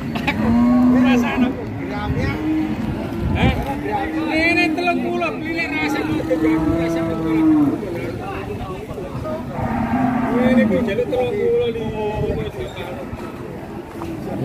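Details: Cattle at an Indonesian cattle market, including a very thin cow: several long, drawn-out moos with wavering harmonic tones, overlapping calls from other cattle, and people talking nearby.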